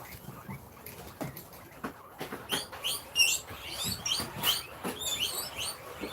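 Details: Pet guinea pigs at a rescue wheeking in anticipation of food at dinner time: a series of high, rising squeals repeated irregularly, building in loudness in the second half, with some clatter and background noise.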